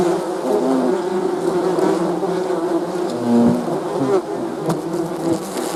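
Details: Layered buzzing of numerous bees, a steady droning chorus where individual hums briefly stand out and fade, one louder pass coming after three seconds.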